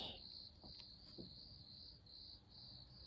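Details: Crickets chirping at night in a garden in late May, a steady shrill high trill that swells and dips in pulses about every half second, with faint low rustling beneath.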